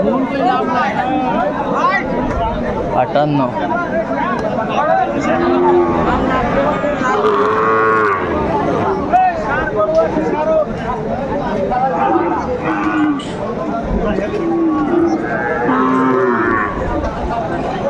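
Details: Sahiwal bull calf at a busy cattle market in Kurigram, Bangladesh, on 27 July 2024; several drawn-out moos rise and fall among steady crowd chatter and people talking.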